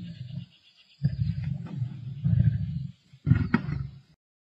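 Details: Lions feasting, Black Dam male lions with the Avoca Pride, 31 March 2024, give heavy, rasping low growls in three sustained bouts of one to two seconds each, separated by brief pauses.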